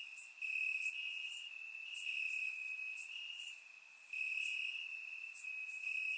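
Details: Crickets in Bulgarian grassland on a warm summer night give an unbroken high trill in long stretches with occasional short gaps, plus faint higher chirping from further insects; calm, even ambience recorded in surround sound.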